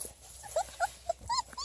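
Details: Beagle puppies, three and a half weeks old, in chocolate, tricolor and bluetick, born June 1, 2018, playing outside: four or five brief high squeaky whimpers, each rising then dropping, with soft background hiss.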